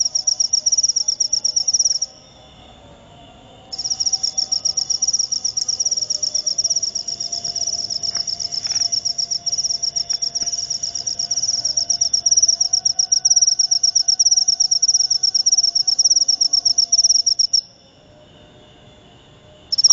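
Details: Cricket called jangkrik upo, chirping in long bursts of shrill, rapid high-pitched pulses. It stops early for a couple of seconds, resumes for about fourteen seconds, then pauses again before a final short burst.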